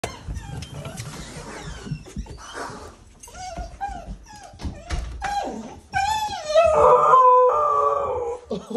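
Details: A female pet dog howls to greet her owners arriving home: after scattered whines and rustling, a rising, wavering "awoo" swells into a loud, sustained tonal howl lasting about two seconds, with household noise in the background.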